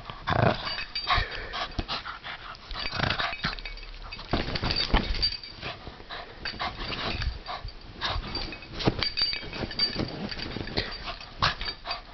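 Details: A pet Bugg named Zoe tugging at a toy in a game of tug of war, her playful growls breaking into short raspy bursts that pile up densely and repeat throughout.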